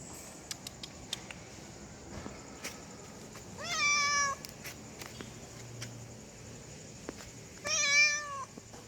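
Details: A female domestic cat in heat calls for a male with two plaintive meows about four seconds apart, each rising then sliding down, against a low background hiss and scattered soft clicks.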